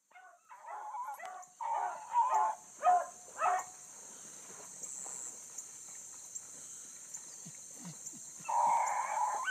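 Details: Bluetick Coonhounds running a big rabbit early on a summer morning, a new pup among them; a few loud bawling bays come in bursts, then a long lull before another drawn-out bay, with a steady high hiss behind.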